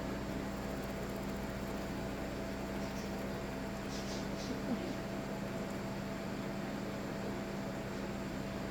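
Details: A steady indoor mechanical hum with a low electrical drone, and no animal calls.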